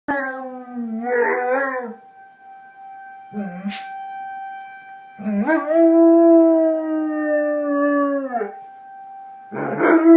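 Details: Domestic dog howling at a tornado siren: several long harmonic howls, wavering then sliding down at the ends, separated by pauses, over the steady tone of the siren running throughout.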